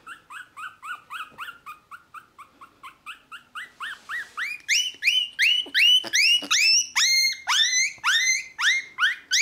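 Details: Dog whining in quick repeated yelps, about three per second, starting as steady mid-pitched upswept whimpers and turning louder, higher and more strained halfway through, with harmonics stacked above each note.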